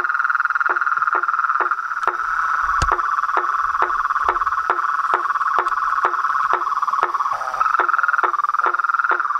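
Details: Chorus of frogs, toads and treefrogs: a continuous high, shimmering trill drones beneath sharp, clicking croaks that repeat roughly twice per second, with a few soft low thumps in the background.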